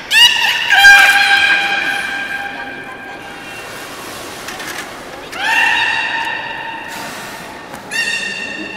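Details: Beluga in a public training session at the Port of Nagoya Public Aquarium, 18 July 2016, 13:30 session. Loud, rich harmonic squeals with gliding, falling pitch in three separate bursts, between pauses filled by murmuring hall background.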